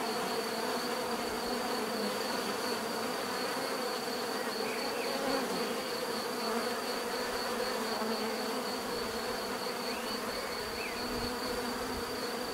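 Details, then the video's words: Continuous natural buzzing of many bees, a thick even hum with stacked low tones and a thin steady high note, unchanging in loudness throughout. "bees therapy relaxing natural buzzing sound"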